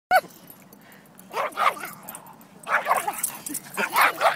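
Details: A Pekingese dog attacking a Siberian Husky it dislikes: a sharp yelp, then three clusters of rough, rapid barks and snarls about a second apart, with a quiet gap between bursts.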